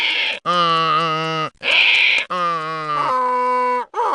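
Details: Donkey braying loudly, a harsh see-saw of long tonal inhale and exhale notes alternating about once a second, with brief gasping breaks between phrases; described as unique, loud and unpleasant to hear.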